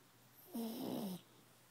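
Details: Pug. A pug snores once in its sleep, a low, buzzy breath lasting just over half a second. The tone wobbles and drifts downward, with a rough, airy rasp layered over it.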